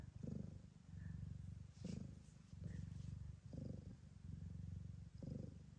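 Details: Blue bicolour Ragdoll mother cat at a breeder's in Australia, in labour just before 7 p.m. Low, rumbling purr in steady bursts of about a second, separated by brief pauses, with quiet soft speech nearby.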